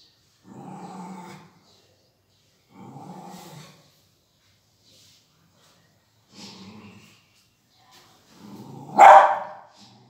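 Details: Beagle puppy barking: four short, rough, growly barks about two seconds apart, each under a second long, then a sharper, much louder yelping bark near the end. The background is otherwise quiet.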